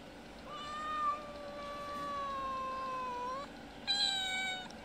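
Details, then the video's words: Mother cat with a little kitten, visiting a house twice a day to ask for food; two long, drawn-out meows, the first steady and slowly falling over about three seconds, then a brighter, higher second meow. "Kitten mother meowing asking for food."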